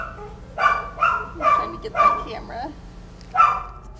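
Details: Kelpie puppies giving short bright yips, four in quick succession about half a second apart, a brief pause with faint whining, then one more yip.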